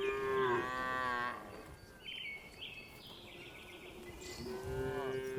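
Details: Tame cows on their afternoon walk back to the barn; a steady loud moo lasting over a second, then softer background chirps, and another low moo starting near the end.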